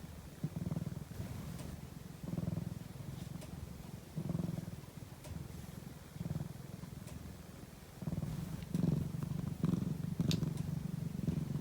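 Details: Cat dozing through an afternoon nap, purring nonstop. The low, buzzing rumble pulses in breath-length waves, around seventy-four per minute, and grows slightly louder and fuller toward the close.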